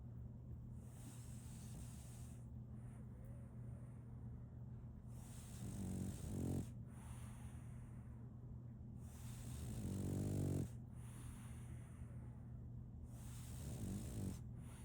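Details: Asleep, a female French Bulldog puppy snores in slow bursts, with three low, rattling snores spaced about four seconds apart between quiet breaths, over a steady low hum.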